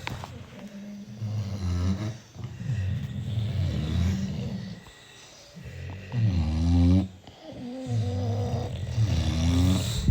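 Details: Sleeping British Bulldogs, six of them, produce heavy throaty snores in long rasping waves, each breath cycle lasting a few seconds, with brief quiet gaps between rumbling inhalations.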